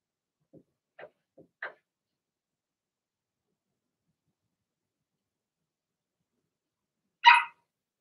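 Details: Young Blenheim Cavalier King Charles Spaniel puppies in an indoor puppy pen: a few soft little yips in quick succession, then after a pause one louder, bright bark.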